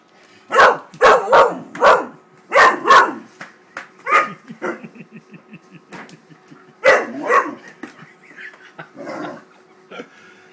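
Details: Wallace, a 13-week-old Great Dane puppy, gets very upset at a paper bag and attacks it. A quick string of loud, rough barks is followed by softer, scattered yips and a second burst of barking.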